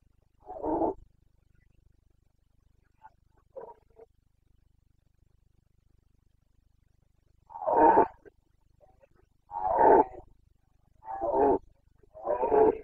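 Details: Rutting Carpathian red deer stag in Bucovina's mountains, 29 September 2022, breeding season: an opening roar, two faint grunts, then four loud, gravelly bellows roughly every one and a half to two seconds.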